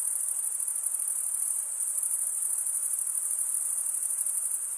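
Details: Shrill cricket stridulation forms an unbroken high-pitched buzz, pulsing about three times a second. No other sound is present.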